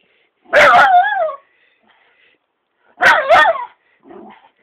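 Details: Jealous pet dog reacting to a muppet, letting out two loud wavering howl-like barks about two and a half seconds apart, each sliding up and down, with a quieter grumble at the end.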